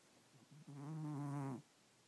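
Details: Domestic cat snoring while asleep at night indoors; one drawn-out, low, buzzy breath lasting about a second, with a steady harmonic drone and faint shorter snuffles just before it in a quiet small room.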